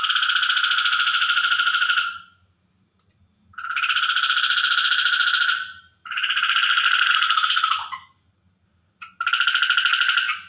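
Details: Night-time water frog chorus: long rasping, buzzy pulsed calls of one to two seconds, repeated back to back with short gaps, over a faint low background rumble.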